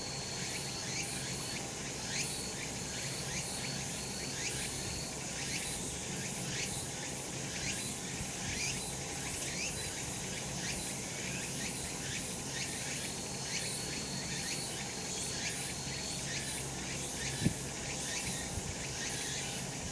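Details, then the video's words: Summer mountain in the sun, where cicadas keep up a loud buzzing chorus throughout: rapid regular rising strokes, an intermittent steady whistle-like tone in the first seconds, and a single soft knock near the end. "セミの鳴き声 夏の山 日なた"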